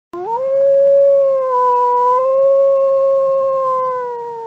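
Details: Wolf (Canis lupus) giving one long, smooth howl that swoops up at the start, then holds a steady, clear, slightly wavering tone for about four seconds before sagging gently at the end. No other sounds.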